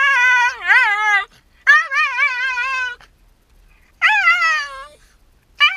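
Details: Shiba Inu dog crying after being left alone while its owner goes out on an errand; indoors, repeated wavering, yodel-like howling whines in three long bursts with short silent gaps.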